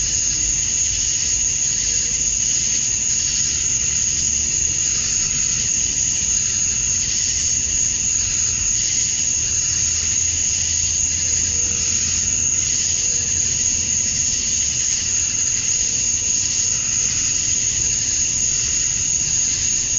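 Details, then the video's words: Male cicadas in a summer-night dusk chorus in Georgia, USA, calling to females; a relentless high hissing drone with regular soft throbs, over faint intermittent low hums in the background. "Cicadas at Dusk, Summer Night"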